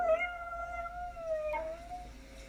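A Siberian Husky gives a sustained, tonal howl that holds a fairly even pitch, dipping slightly before carrying on. The dog is howling in response to a tornado siren.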